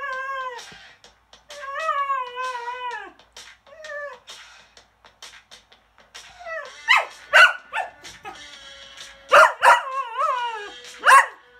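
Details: Cocker Spaniel howling along to the rock song Rock & Roll Part 2: a long wavering tonal howl for three seconds, then short rising and falling howls and yelps in bursts, with faint rhythmic drum beats underneath.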